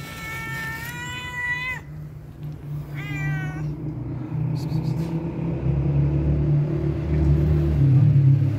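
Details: Homeless cat begging for food gives a long meow: two drawn-out, slightly falling meows, the first nearly two seconds long and the second shorter, over a steady low rumble.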